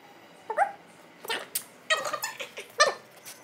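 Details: Male German Shepherd playing on his own while his owners are not around gives a few sharp, squeaky yips and whimpers, brief and uneven, with short silences between them.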